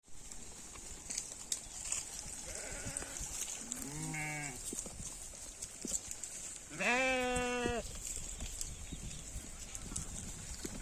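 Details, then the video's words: Goat bleating: a faint bleat near the start, a short nasal bleat, then a loud, drawn-out quavering bleat with strong harmonics, over a steady high-pitched hiss throughout. "Funny Goat Sound"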